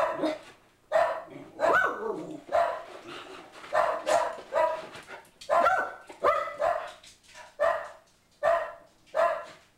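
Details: Pug mix named Boo Radley barks at an ad man arriving at the door, a rapid, excited run of around a dozen barks, some doubled and overlapping, filling the whole stretch with little pause between them.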